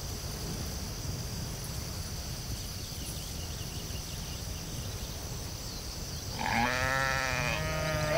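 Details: Sheep in a field giving one wavering, harmonic bleat that starts late and lasts almost two seconds, after a long stretch of low rumbling wind noise and a steady high background hiss.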